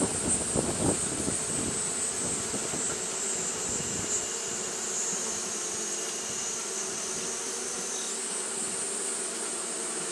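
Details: On a hot day, Japanese honey bees keep up their fanning behaviour. Their continuous buzzing hum is mixed with a few low thumping knocks and rumble in the opening second, then settles into an even drone.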